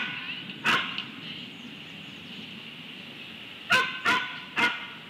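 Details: Coyote, possibly a dog, at Audubon Starr Ranch, California, giving sharp, hoarse barks: a single one, then after a pause three in quick succession.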